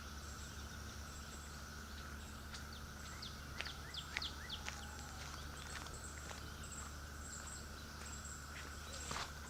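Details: Cicadas keep up a continuous, soft, level buzzing drone in a quiet flower reserve meadow at Raccoon Creek State Park around Memorial Day weekend, with brief high ticks and chirps over a low background rumble.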